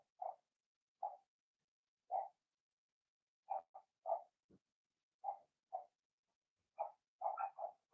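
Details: Blenheim Cavalier King Charles Spaniel puppies from Remy's first litter of six, born March 7–8, in an indoor puppy pen. Short, mid-pitched yips come singly and in quick clusters at irregular intervals, with silence between them.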